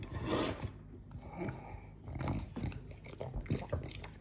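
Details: Morty, a French Bulldog, devouring a fruit plate indoors: close, crunchy and wet chewing noises in uneven bursts, with smacking and rustling throughout.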